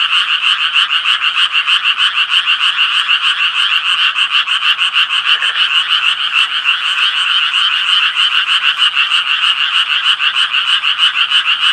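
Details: Japanese tree frogs calling in a dense chorus: rapid raspy croaks stacked in a steady bright band, pulsing about three times per second without pause, with no other sounds.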